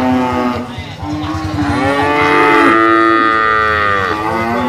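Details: Brahman bulls lowing: long, drawn-out moos that swell and fade, with a rich, steady tone and a second voice overlapping near the end, under constant low rumbling.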